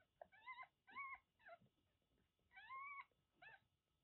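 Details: One-month-old kittens born to a stray cat in Kagoshima, Japan, mew repeatedly: short bright squeaks and longer rising-falling cries, in two bursts about two seconds apart, with soft indoor noise between.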